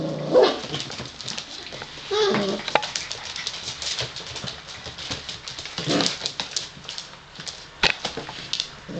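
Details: Five-week-old Gordon Setter puppies from the litter of Niki and Junior give two short whining whimpers amid steady clicking and scuffling of small paws and bodies moving about.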